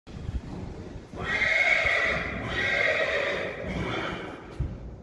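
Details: Friesian horse at a stable with a newborn foal and other Friesian horses, giving one long, loud, strained neigh of about two and a half seconds that wavers slightly, with a faint thud or hoof knock near the end.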